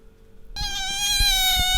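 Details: Pet otter Bingo giving a loud, sustained, steady high squeal with rich harmonics, held without a break after a quiet start, while rubbing against its owner.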